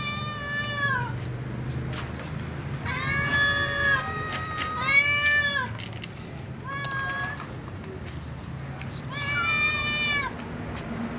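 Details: Calico cat at night, eating together with other cats, giving a series of clear harmonic meows: a long one, then two close strong ones, a short fainter mew and a final drawn-out meow, with low background hum throughout.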